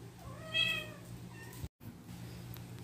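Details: Pet cat, one of ten rescued house cats, giving a single clear, drawn-out meow that rises then falls, with a fainter short mew after it, against a constant low hum in a quiet room.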